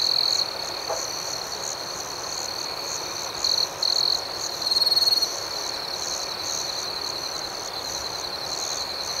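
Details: Nocturnal crickets in gentle chorus: a steady high ringing trill with pulsing overtones, and a cluster of several louder chirp bursts between about three and a half and five seconds before the chorus settles back.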